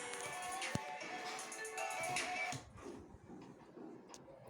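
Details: Busy music plays for the first two and a half seconds, then gives way to quiet indoor room noise with a few faint clicks.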